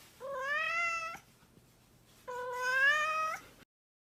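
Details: A mischievous house cat gives two long, clear meows, each about a second, steady then slightly rising in pitch with rich overtones, separated by a short pause in a quiet room.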